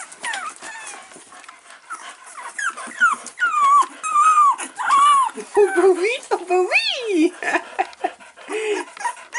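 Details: Staffordshire Bull Terrier puppies, four weeks old, with their mother. Loud, high whining cries that bend up and down in pitch come in quick bursts, roughly one to two per second, while a person talks over them.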